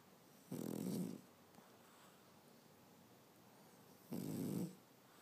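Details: A female French Bulldog napping on a Saturday afternoon snores in slow, raspy breaths about four seconds apart, each a low, fluttering, rattling rumble with a hissy edge, with only a quiet room hush between.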